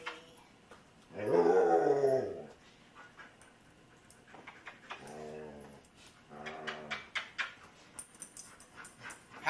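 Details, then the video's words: Luca, a talkative foster dog, gives one loud drawn-out moaning vocalization that rises and then falls, followed by two softer, shorter moans after a pause, in a quiet indoor setting. "The MANY Sounds of Luca"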